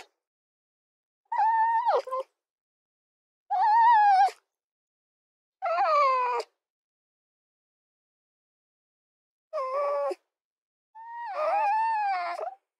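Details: Fox whines: five drawn-out, wavering cries, some sliding downward and some warbling. They are spaced a second or more apart, with a long quiet gap before the last two.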